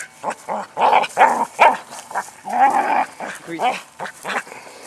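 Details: Ann the Border Collie, fixated on herding a rock in an endless game, lets out rapid wavering whines and yelping barks, several per second, rising and falling in pitch.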